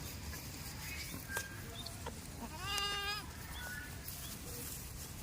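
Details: A farm goat in a village gives one loud, wavering bleat with a trembling tone mid-way, preceded and followed by softer short calls over a steady background hiss.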